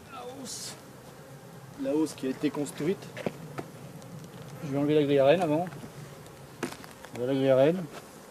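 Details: Bees of a drone-laying colony, shaken off their frames some fifty metres from the hives, fly past in loud droning bursts that waver up and down in pitch, separated by quieter stretches with occasional sharp clicks.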